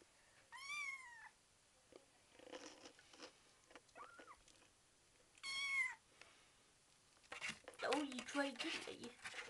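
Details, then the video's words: Kitten of five weeks, eager to play, gives two clear meows several seconds apart, one short upward chirp between them, while quiet speech and handling noises fill the gaps and end the recording. "Talking Kitten"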